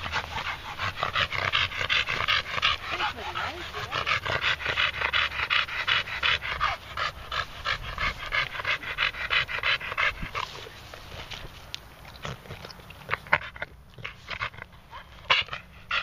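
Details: Moses, a red Staffordshire Bull Terrier pet that pants heavily after walking; fast breathy panting for about ten seconds, then quieter with faint clicks, light speech underneath.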